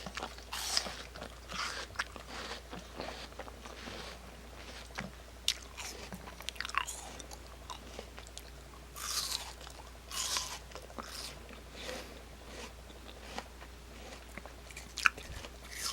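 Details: Kimdungi the dog biting into and crunching an apple indoors, with loud, crisp bites every second or two, juicy chewing between them, and a steady low hum throughout.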